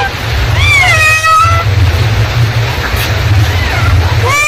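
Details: Mother cat calling to her kittens with one long bending meow early on, then short fainter calls later and a rising call at the very end, all above a constant low rumble.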